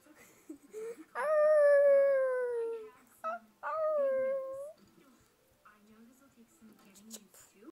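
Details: Pet dog reacting to a movie on TV: a long, clear, slowly falling howl, a short break, then a second shorter howl, with soft background rustles and faint soundtrack.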